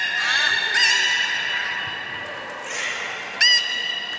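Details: Beluga whale in captivity at Port of Nagoya Public Aquarium, Japan, on 30 March 2019, eating fish and playing afterwards, gives long steady harmonic whistles, broken by short upward-sweeping chirps, all against a low background hum.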